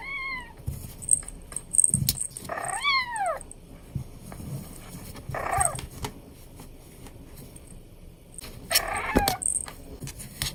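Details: Playing Abyssinian kitten giving four meows. Each is a high, arched mew that rises and drops, some brief and some drawn out, separated by quiet gaps with soft tinkling and rustling.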